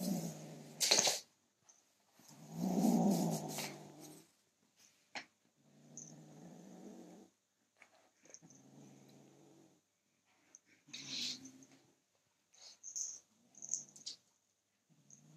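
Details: Protective male kitten guarding his toy: a loud rumbling growl early on, followed by quieter, shorter intermittent growls, interspersed with clicks, scrapes and rustling from handling.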